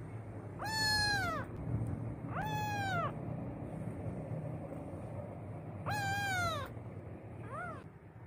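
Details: Adopted kitten, afraid and crying on its first day in a new home: three loud, drawn-out harmonic meows arching up then down, a short fainter mew at the end, over a steady low hum.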